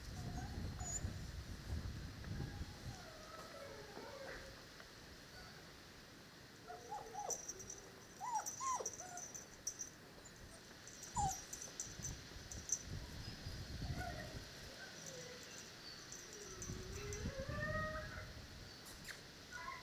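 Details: Dogo Canario puppies from the parents Gorinka and Butze, recorded on 8 November. They give scattered high, sliding whines and squeals, some rising and some falling, over low rumbling thumps and handling noise.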